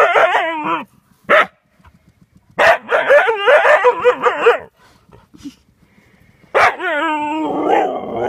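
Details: A Siberian Husky bothered by a lingering hedgehog gives repeated bouts of yapping: short warbled yelps, an isolated sharp yap, a long chattering run of wavering barks, then a sustained yodelling whine to finish.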